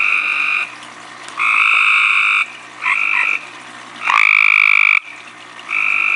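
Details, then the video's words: Tree frog calling at night, recorded right in its face: five bright, buzzy, pulsed calls in about six seconds, some short and stuttering, one opening with a rising sweep, with soft steady hiss filling the pauses. "Tree frog face calling"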